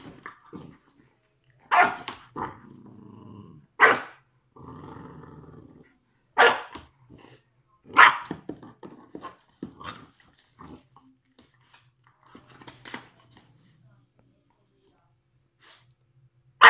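An English bulldog growls in low rumbling bursts between sharp, broadband barks, recorded indoors.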